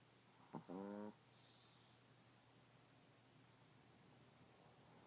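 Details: Sleeping Chihuahua named Chico snoring again indoors; a short click followed by one half-second buzzy, harmonic snore, then quiet room tone until a faint breath at the end.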